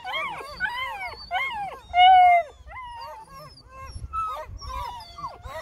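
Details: Vocal Bluetick Coonhound puppies, eight weeks old, at feeding time, giving a chorus of rising and falling whines and a loud sustained howl, with low rumbling background noise.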